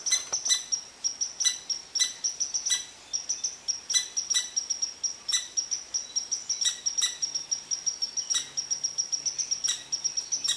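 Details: Angry red squirrel throwing a rant at a relaxed Eastern Cottontail under its favorite tree: a continuous rattle of high, sharp chip notes, quickening toward the end, with a faint low hum in the background.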